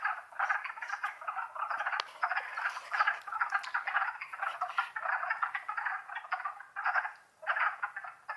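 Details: Spring chorus of wood frogs, Longkill Woods, April 2014. Massed hoarse clucks overlap into a steady chattering din that swells and briefly dips near the end, with scattered sharp clicks.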